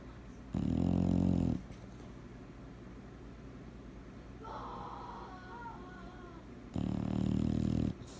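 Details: Sleeping bulldog snoring indoors: two loud, low, buzzy rasping snores about one second long, roughly six seconds apart, with quiet breathing between and a brief higher whine in the middle.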